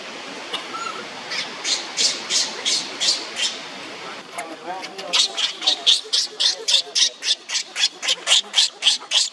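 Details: Shrill repeated wails from young monkey Leo, crying on the ground while Libby torments him; a steady run of high cries, a short softer gap, then faster, louder bursts close together.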